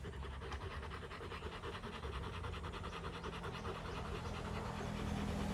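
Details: Rottweilers of a family, resting after fighting on day 59, pant in quick rhythmic breaths, roughly three to four per second, with a steady low hum running underneath.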